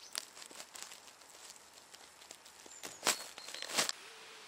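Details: Large Marsh Grasshopper in marshland of the Vendée, France, giving sharp, dry broadband ticks, soft at first and then two loud snaps close together near the end, over a faint rustling outdoor background.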